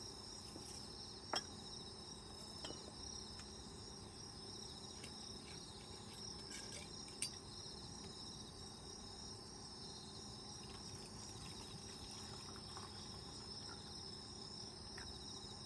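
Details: Chorus of autumn insects at a countryside campsite, recorded from inside an open lodge tent: continuous high ringing trills with faster pulsing chirps woven through, plus occasional sharp taps and faint handling sounds.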